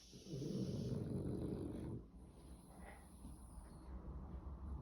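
A French Bulldog snores with a low, rough, rattling rumble.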